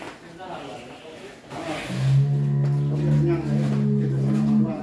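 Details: ['Fat cattle (sapi lemu) in Indonesia: a long, deep, steady moo of about three seconds with a rich stack of overtones, starting after a quieter stretch of talk and background music.']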